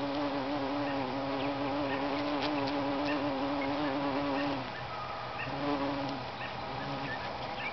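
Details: A bumblebee working a lupin flower gives a continuous low droning hum for about four and a half seconds, dips quieter, then picks up again near six seconds; light bird chirps in the background.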